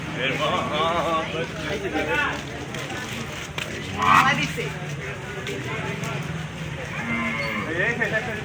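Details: Cattle at the Postogola cattle market in Old Dhaka, 2025, at night: drawn-out harmonic lowing moos rise and fall between steady crowd chatter and human voices in a busy market lane.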